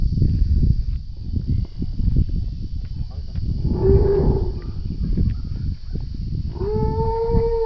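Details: A scared baby Asian elephant, trapped alone in a ditch without its mother while a group of men works to rescue it, gives two short tonal, moaning calls with clear harmonics, the second longer and rising slightly. Men's voices and rustling continue throughout.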